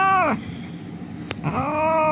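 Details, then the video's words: Crying cat found injured on the street and being treated by rescuers: a falling meow followed after a pause by a longer, level, rich-toned meow, over steady low street noise and a brief click. "The cat was lying on the street crying"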